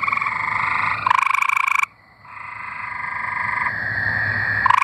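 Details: Arkansas tree frogs in full song: fast rattling trills from more than one frog overlap, drop out briefly around the middle, then resume as a steady buzzing chorus.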